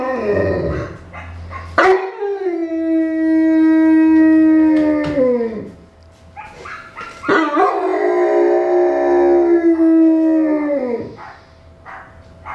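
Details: A Newfoundland dog opens with a sharp whine, then gives a long level howl that sags at its end. A second louder, more strained howl follows before fading out.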